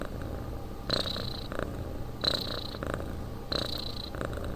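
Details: Cat snoring in sleep indoors, regular rasping breaths repeated a bit faster than one per 1.5 seconds, each with a faint whistling tone, no other sounds.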